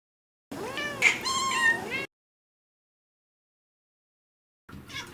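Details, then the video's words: Domestic cat meowing in a drawn-out, wavering call of about one and a half seconds with rich harmonics, then silence and a brief faint sound at the end; a child's voice is heard nearby. "Funny Cat Sounds Compilation"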